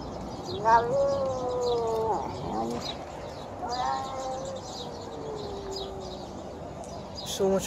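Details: Stray feral cat, hungry while being fed, gives two long, strange wailing cries, each starting higher and sliding slowly downward. The second call trails on for over two seconds, with a brief yelp between them.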